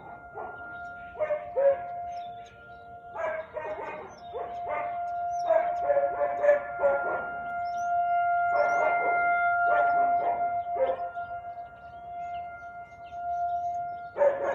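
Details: Siberian Husky barking at 4:17 pm on 13 March 2021: rapid clusters of harsh, broadband barks in quick volleys with short gaps, about three per second, over a steady high background hum.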